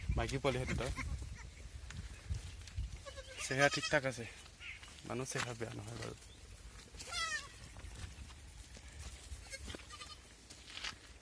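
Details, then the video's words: Beetal F1 and Assam hill goats bleating: several harsh, quavering bleats spread across the recording, loudest near the middle, with human voices and background noise between calls. "beetal F1 and Assam hill goats"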